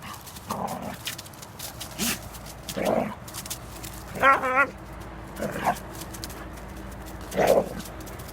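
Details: Young black female hound in rough play with an adult male black retriever, jumping on him and biting his ears; several short gruff barks and growls, one clear stuttering growl in the middle, with a woman encouraging in Georgian.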